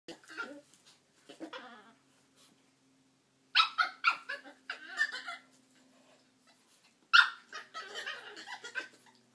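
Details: Chihuahuas making funny noises while playing together: scattered squeaky whines, grumbling yips and short growly bursts in three irregular clusters, with a low steady hum underneath.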